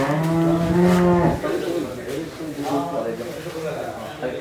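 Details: A Jersey cow in Pabna, Bangladesh, nine months pregnant with her second calf. She lets out a low, droning moo of just over a second, which fades into softer lowing and background noise.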